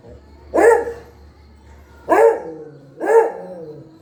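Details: Pet dog giving three loud, single barks spaced about one to one and a half seconds apart, each a short harsh burst with a slight falling tail, over a faint low hum.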